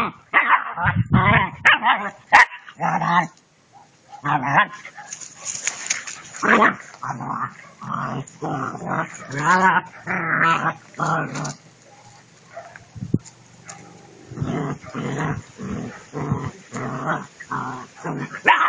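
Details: German Shepherd puppies playing, giving rapid bursts of short yips, barks and growly harmonic cries, packed closely together with brief pauses, a quieter stretch near the middle, then another run of sharp barks toward the end.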